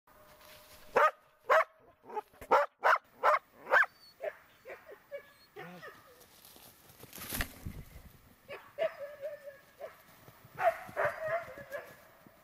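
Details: Border Collie barking during search and rescue training; a burst of about seven sharp barks, then scattered barks and whines with rustling and a loud brush noise midway.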